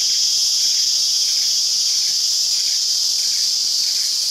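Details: Green and black cicadas (Trengganua sibylla) singing in Perak, Malaysia: a steady, loud, high-pitched hiss-like drone with no breaks, carrying a faint pulsing texture underneath.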